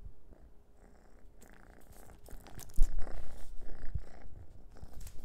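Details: Noah the orange cat purrs while batting around a dehydrated minnow treat; quiet low rumbling at first, then louder thumps, scrapes and rustling from play in the second half.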